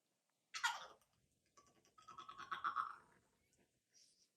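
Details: A French Bulldog in his crate gives a rough burst, then a drawn-out, wavering whine, asking to be let out.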